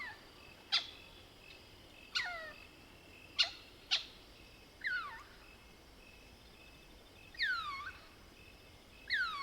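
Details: Lesser bushbaby of the species Mohol's bushbaby, at night in South Africa's Soutpansberg: sharp clucks alternate with soft descending squeaks at irregular gaps of about a second; faint high insect hum throughout.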